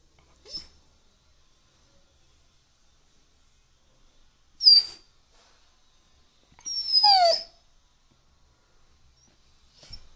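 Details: Labrador Retriever puppy giving a few brief high whines separated by silence, the longest a falling, descending whimper of about a second.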